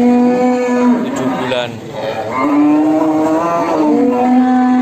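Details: Simmental cattle offered for sale: long drawn moos with a steady low pitch and stacked harmonics, one near the start, a longer one midway and another at the end, with faint background voices.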